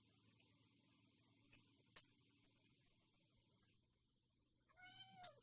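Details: Cat at a countryside home where stray cats are fed and a mother cat raises kittens: quiet room with scattered clicks and taps, then a brief clear meow near the end, sliding downward in pitch.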